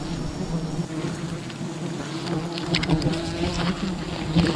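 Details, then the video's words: Steady low droning hum of wild bees around their colony during honey hunting, continuous and slightly wavering, with faint clicks and rustling over it. "Wild bee honey hunting"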